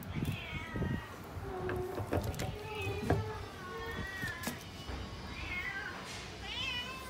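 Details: Several cats and kittens waiting for tasty food meow in overlapping, wavering calls, some short and some drawn out, among clattering knocks, a steady low tone and murmuring background noise.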